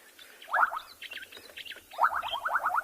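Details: At sunset on 29 November at a body of water in Tswalu Kalahari Reserve, South Africa, frogs give short, rapid pulsed trills in bursts, males advertising to listening females.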